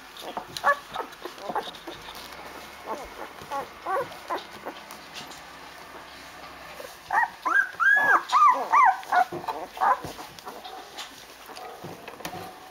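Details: Young Rhodesian Ridgeback litter at day eight, resting and crawling about looking for cuddles: scattered soft whimpers early, then a loud cluster of rapid, bent squealing cries from about seven to ten seconds.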